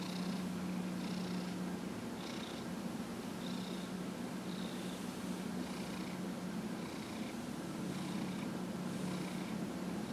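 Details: Massage session on January 31, 2018 with Dillard, a 15-and-a-half-year-old domestic cat, giving a loud unbroken purr, a strong low hum overlaid by soft airy pulses repeating about every second with each breath.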